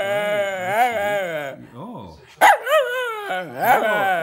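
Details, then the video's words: Pet dog 'talking' to its owner after a walk, making drawn-out, whining, howl-like sounds that rise and fall in pitch in quick wavering bursts, with a short pause midway and a person's voice nearby. "the TALKING DOG!!!"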